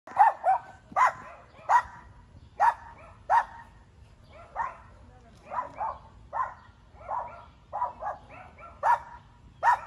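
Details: Dogs barking in a run of sharp, loud barks, often in quick pairs, about 78 per minute and irregularly spaced, with a faint low hum underneath.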